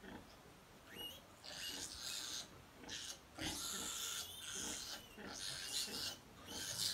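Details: Piglets in a litter of fourteen squabble over feeding at the sow, giving raspy, high-pitched squeals that swell and fade in uneven bursts, some with short whistled tones.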